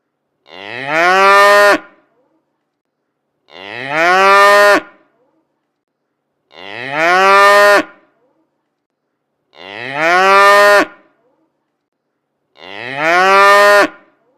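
Cows give loud, drawn-out moos about every three seconds, calling their herd-mates home from pasture.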